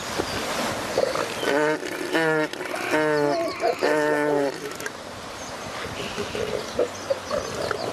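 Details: Northern Elephant Seals during mating behaviour on the remote shores of Ocean Beach: four loud, throbbing bursts with deep stacked harmonics follow one another over about three seconds, then fade into a quieter stretch of steady background rush.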